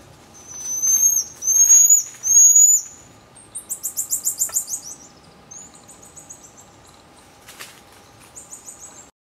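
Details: Common marmoset vocalising: three long, very high, thin whistled notes, then a fast, high, buzzy trill of about ten pulses, followed by shorter high chirps and a faint click.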